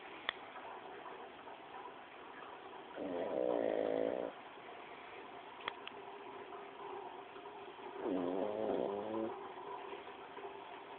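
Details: Snoring pug Paco gives two rough, vibrating snores roughly five seconds apart, each buzzy and harmonic, over a steady electrical-sounding hum with a couple of brief clicks.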